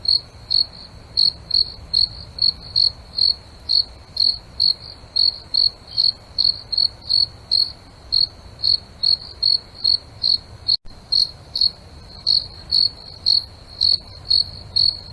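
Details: Night-time cricket giving a steady run of bright, high chirps, roughly two each second, with a soft low background hum and one tiny click near the end.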